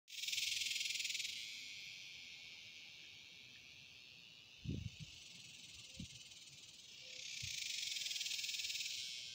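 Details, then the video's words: Dog-day cicada: a high, hissing buzz at the start that fades to a faint hum, then swells loudly again near the end, with a few soft low knocks in the quiet middle. "I cought a superb dog day cicada on camera"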